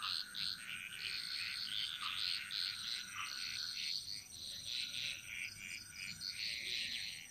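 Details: Jungle frog chorus from Bali, a busy, rapidly repeating rattle of overlapping chirps that barely pauses, accompanied by a steady thin tone and a faint constant high hiss.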